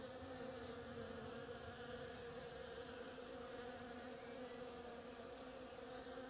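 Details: A swarm of bees at work on oriental creeper blossoms drones constantly, a thick overlapping hum without pauses or changes in loudness.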